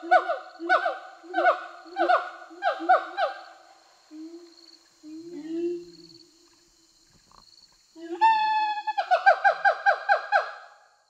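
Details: Siamangs released a year earlier in Sumatran forest sing: male's territorial display with the female joining in support, loud rhythmic runs of harsh, harmonic barks with a rising wail between bouts.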